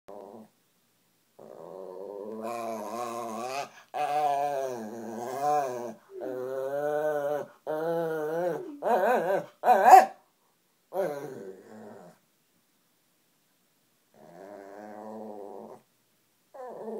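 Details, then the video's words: Shih Tzu dog indoors complaining and begging for food: drawn-out, wavering harmonic whines and moaning yowls in bursts of one to two seconds, some rising and falling in pitch, with short pauses between. "Pepper the Shih Tzu talks"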